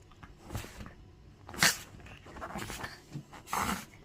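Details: Chihuahua named Timosha, freshly trimmed and bathed in coconut shampoo, sneezes indoors in a small room: two sharp, explosive bursts about two seconds apart, with soft snuffling and sniffing between them.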